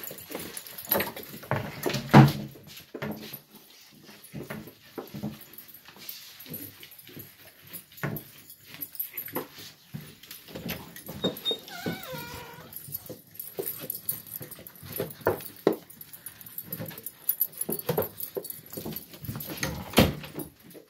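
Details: Gollie puppies, ten months old, waiting indoors for breakfast as adults watch; a wavering, rising-and-falling whine near the middle, scattered short whimpers, and frequent clicks and clatter of paws and dishes.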